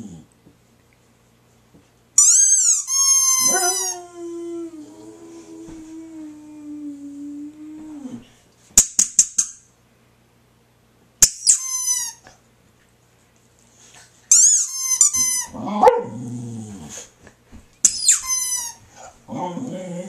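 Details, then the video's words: Female Boxer dog indoors howling in response to a squeaky toy: a high toy squeak, then a long, steady, low howl held about five seconds, followed by further sharp toy squeaks and short whimpering dog vocalizations. "Boxer Dog Howls to Squeaky Toy"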